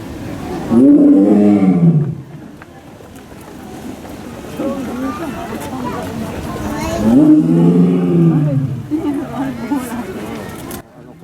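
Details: Kiril, a male Amur tiger born 2 June 2009 in America and kept at Asahiyama Zoo, filmed in June of the previous year giving a powerful roar: two deep, harmonic, arching bellows about six seconds apart, with people talking in between.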